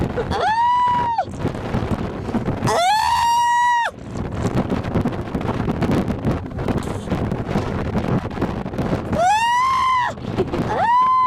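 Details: A white seal pup gives long, nasal, rising wails, each held about a second, over steady wind and surf.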